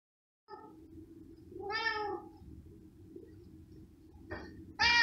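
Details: Pet cat meowing while small pieces of cooked pork ham are prepared for it: a low, steady tone runs through, then one clear, drawn-out harmonic meow near the two-second mark and a short, bright mew that starts just as the clip ends.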